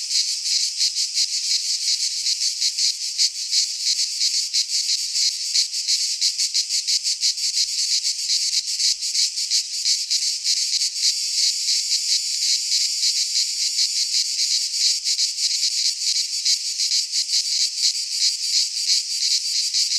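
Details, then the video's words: Chorus of cicadas in a pine forest in Greece during midsummer, a continuous shrill rasping buzz with fast, even pulsations that never pause, no birds or people audible. "Cicadas singing in midsummer - Nature sounds from the Greek fauna - Sounds of cicadas"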